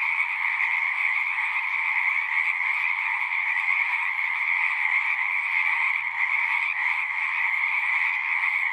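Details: Frog chorus from a pasture pond on a Zoom 6: steady, dense, high trilling from many animals at once, continuous and level, with faint low rumbles underneath.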